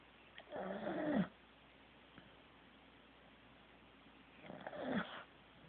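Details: Teddy, a sleeping Corgi, snores in two wheezy bursts about four seconds apart, each a nasal rasp with a whistled tone sliding downward, separated by quiet room hiss.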